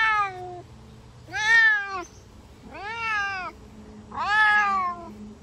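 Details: Meowing of a Savannah cat out on a summer walk: four loud, arched calls come about once every 1.5 seconds, each rising and then sliding down. There are short pauses between the calls and a faint steady hum underneath.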